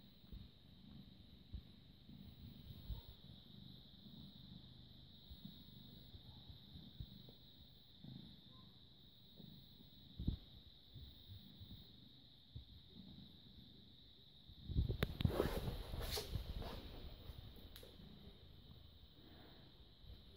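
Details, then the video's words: British Shorthair cat, born 18 August 2010, recorded 6 May 2017 at 21:55, purring: a low, soft, pulsing rumble held steadily throughout, broken near the end by a short louder burst of broadband noise, over a constant high-pitched electrical whine. "British Shorthair Cat purring"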